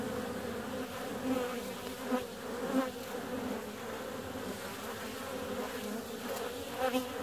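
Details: Honey bees out flying on a warm February day: a steady low droning hum with a clear overtone above it, swelling briefly as single bees pass close around the second and seventh seconds.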